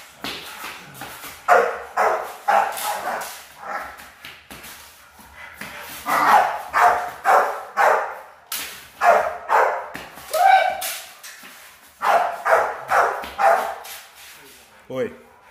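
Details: Rottweiler puppies in a training routine for high-performance guard work, barking in rapid, repeated bursts of about two per second, sometimes in quick clusters, with short pauses between runs and a brief human voice at the end.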